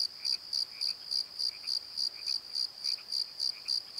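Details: Crickets calling at night in a valley bottom beside a tree, a steady high chirping pulse repeated about three to four times per second, with fainter lower croak-like notes from night callers between pulses.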